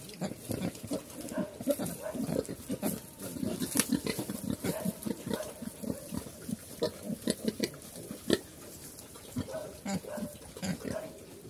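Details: Farm pigs in Cambodia, known locally as Chrouk Kandorl, giving a rapid run of short low grunts that later thin to sparse grunts, with clicks and knocks between them.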